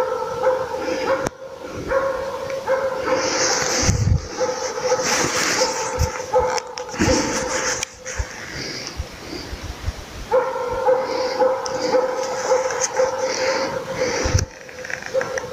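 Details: Laika dog baying during a moose hunt: continuous fast, ringing barking, partly masked by rustling and low thumps in the middle section, then clear steady bark runs again from about second 10.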